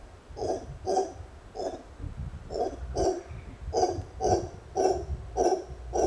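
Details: Congo monkey kept as a pet, heard during an exchange with a man: hoarse, buzzy hoots repeated about twice a second, some doubled, over low rumbling background noise.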